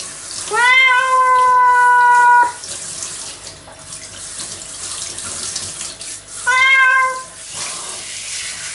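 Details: Nora the cat crying out against being bathed; one long, drawn-out level meow of nearly two seconds, later a shorter one, with shower water spraying throughout.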